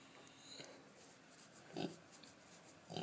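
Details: Pregnant Kunekune pig lying in a near catatonic state while getting a jowl rub. She gives two short, soft, low grunts about a second apart. Faint background hiss is audible throughout.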